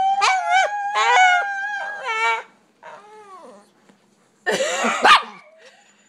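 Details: Pet pups yowling in short wavering howls, two strong bursts then a softer falling whine, followed by a loud harsh cluster of barks and yips near the end.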